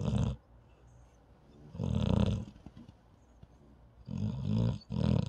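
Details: Snoring from a sleeping paralyzed dog, with rough, low, buzzy breaths that repeat roughly every two seconds and quiet pauses between them.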